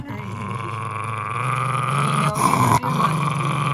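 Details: Henry, a Jack Russell Terrier who treats his plush monkey as off-limits, keeps up an unbroken low growl. The growl grows slightly louder and rougher partway through, with a brief catch near the end.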